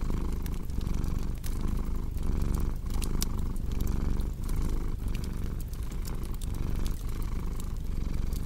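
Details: Cat purring in a steady low vibration that rises and falls with each inhale and exhale, over continual crackling of a cozy fireplace.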